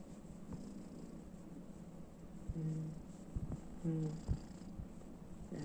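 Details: Calico kitten purring indoors beside an elderly woman, a low steady rumbling hum under the room, interrupted midway by a few short voiced sounds and soft clicks.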